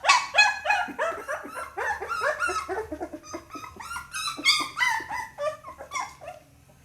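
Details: Pit Bull puppy yelping almost without pause, a dense stream of shrill, squealing cries with bending pitch, tapering off near the end.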